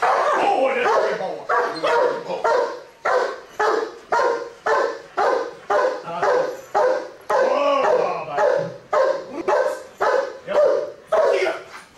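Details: Police working Giant Schnauzer giving steady, loud barks roughly every half second, each a short mid-pitched burst, continuing for the whole stretch with little background besides faint voices.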